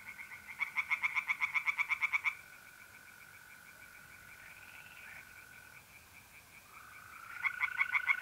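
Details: Pond tree frogs at night in mid-April, north-east Italy: a short burst of rapid rasping pulses, then mostly the continuous high trill of mole crickets before the frogs start again at the end.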